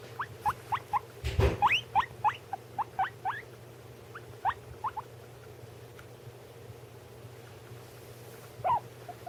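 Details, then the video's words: Pet guinea pigs indoors, one eating while another calls: a rapid series of short, sharp upward-sweeping squeaks, roughly three or four per second, with a brief louder rustling burst near the start and a steady low hum beneath. "My guinea pig making noises"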